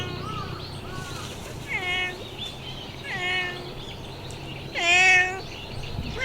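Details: Talkative stray cat greeting a person: three drawn-out, tonal meows rich in overtones at steady intervals, the final one loudest and longest, over a low steady background hum.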